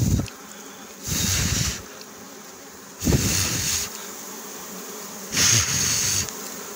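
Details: Bees buzzing in bursts during wild honey hunting and harvesting, a broad hissing drone swelling for about a second then fading, three surges over seven seconds with quieter background noise between.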